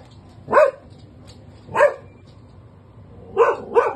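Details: Guarding his home and family, Benji the labradoodle gives four sharp barks: two spaced more than a second apart, then a quick pair near the end, over a quiet background hum.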